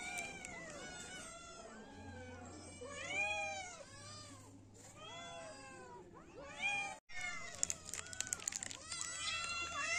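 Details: Several kittens and cats meow together, a thick run of curved, rising-and-falling mews; a short silent gap comes near the middle, followed by noisy rustling and more meows.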